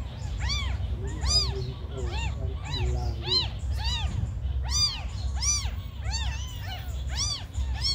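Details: Very small abandoned kittens calling in sharp, piercing meows that rise and fall, repeated in quick succession by more than one kitten, over a persistent low-pitched rumble.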